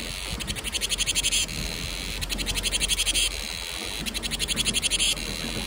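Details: Cicadas singing in summer, their call heard as the herald of summer: three bursts of rapid high buzzy pulsing, each about a second long, separated by short gaps, over a steady high hiss and low background rumble.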